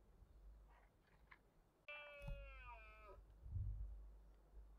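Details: A red deer stag roars in the autumn rut, Cantabrian Mountains, 2023. After a sharp click comes one strong harmonic bellow of about a second, sliding gently downward, with soft thumps and low rumbling underneath and afterwards.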